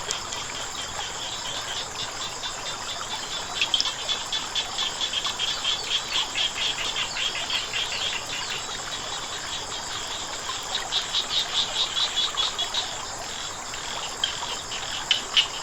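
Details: Against the steady rush of flowing water, frogs give repeated bursts of fast, high, rattling clicks in uneven runs, with a constant shrill whine holding throughout.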